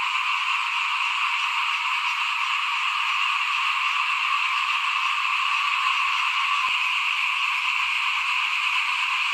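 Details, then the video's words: Many frogs call together in front of a home during rice sowing in 2021, their overlapping notes blending into one even, buzzy drone that stays level throughout, with a single sharp click near the end. "เสียงเขียดร้องหน้าบ้าน ตอนหว่านข้าวเตรียมปลูก"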